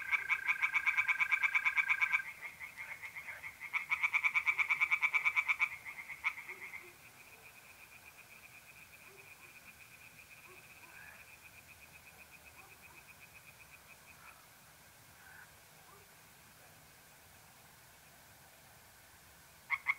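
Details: Two short bouts of rapid, rattling pulsed calls from tree frogs open the clip, recorded by a pond on a mid-April night in North-East Italy. After that only faint, continuous mole cricket trills remain. A brief frog burst returns at the very end.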